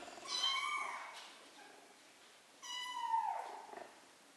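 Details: Two clear, drawn-out kitten meows, each falling in pitch toward its close, from three-week-old kittens learning to walk.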